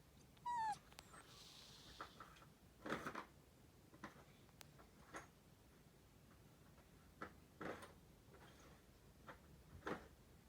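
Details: Sleeping cat named Nana snoring: soft, breathy rasping bursts recur about every two to two and a half seconds, with a brief high whistled squeak near the start and quiet background.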